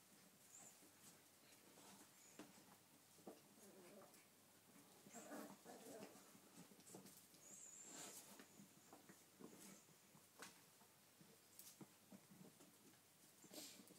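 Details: Five 8-week-old puppies, two males and three females, play with a squeaky chicken toy indoors. Short high yips and squeaks come in scattered bursts among the toy's shrill squeals and pattering paws and scuffles.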